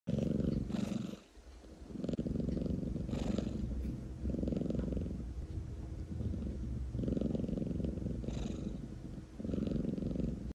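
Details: Domestic cat purring steadily in a long low rumbling drone, broken by brief pauses near two, four and seven seconds, with faint breathy sounds over it.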